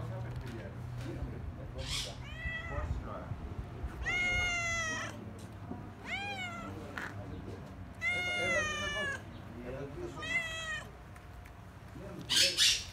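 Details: Seaside cats at Kaloi Limenes near Heraklion on Crete give a run of long, wavering meows, each arching up then sliding down, spaced a couple of seconds apart, with quiet Greek speech, a few sharp clicks and steady low background rumble.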